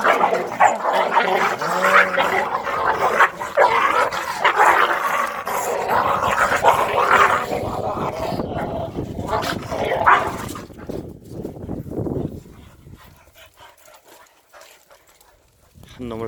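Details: Korean native Jindo dogs Sundol, Baekho and Ttoksuni at exercise time; rough barking and growling over a person's talking, loud and busy for about twelve seconds, then dropping to near silence.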